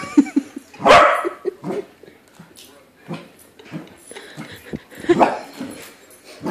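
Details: A domestic corgi reacts to its balloon corgi lookalike with a strong bark near the start and another later. Softer yips, huffs and a low murmur of voices fill the gaps.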